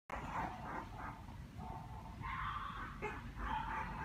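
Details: Puppy recorded on 1 November making soft, high whining and yelping sounds in short bursts, some drawn out, over a rough rumbling background.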